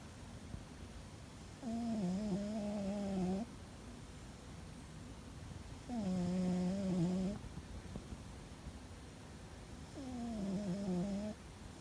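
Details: Domestic cat asleep and apparently dreaming, snoring loudly indoors; three drawn-out, low, droning humming snores of about two seconds each, roughly four seconds apart, over a quiet room hiss.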